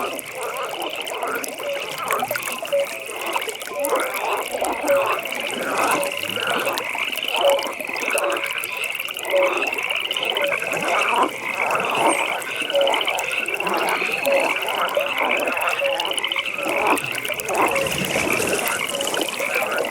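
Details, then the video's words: Frogs croaking in a nighttime pond chorus, a dense band of pulsed, trilling calls running continuously alongside short, regularly spaced croaks, with soft trickling water and ambient night noise beneath. "Frog Pond"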